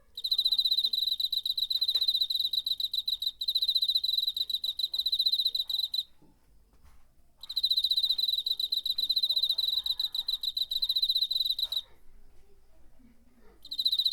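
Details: Cricket song from September 2019, DR-05 recorder: several bouts of shrill, fast repeated pulses lasting two to four seconds, with pauses between them and faint low background noises.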